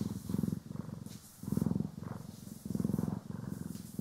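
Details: Pet cats Poki and Kiwi purr as they are brushed and groomed, stereo recording; a strong, low, buzzing purr rising and falling in regular breath cycles about every 1.2 seconds, with soft brushing hiss overhead.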